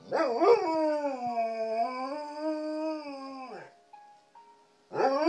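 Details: A Standard Poodle gives a long, wavering howl along with piano jazz, opening with a couple of yips.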